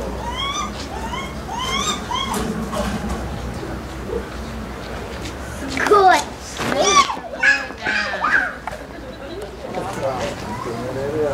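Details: Lar gibbons at Maruyama Zoo, Hokkaido, Japan, April 8, 2016: male Kotaro, 11, calls while chasing female Ai, 6. Rising whooping notes repeat about twice a second for three seconds, then children's voices and chatter take over.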